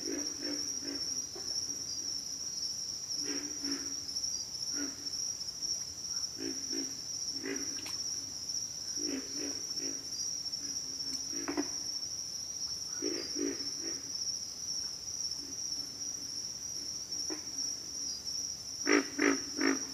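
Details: Several pig frogs calling: short, low, rough grunts in irregular clusters, some doubled or tripled, over a steady high-pitched insect drone throughout.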